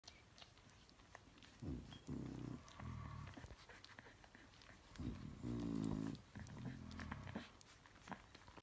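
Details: Bulldog puppies nearly four weeks old, indoors, giving low grunting, growly bursts in irregular clusters, with one brief higher whining cry midway through.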